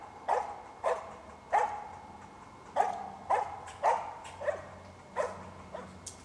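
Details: A squirrel dog called Cricket barks persistently while holding two squirrels up a tree; nine to ten strong barks about two-thirds of a second apart, with low background rumble.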